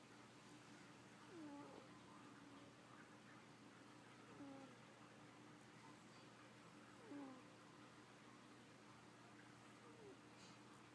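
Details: Sleeping female domestic cat snores quietly: faint, curling, whistled breaths repeating every few seconds over a constant electrical hum.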